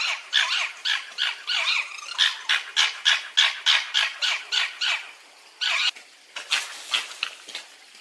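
A fox gives a rapid series of high, yelping barks, about three each second.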